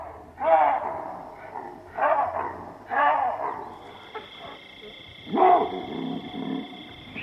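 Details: Baboons in the African bushveld: loud, harsh, barking calls with a rough harmonic tone, each call bursting out roughly every one to one and a half seconds. A steady high insect drone starts up in the background partway through.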